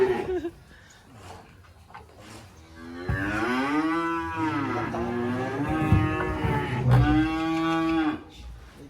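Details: Sacrificial black cattle unloaded from a truck at a rural pen: after a few seconds of low rumbling and background noise, two strong moos follow, the first falling and wavering, the second shorter and level, then quiet.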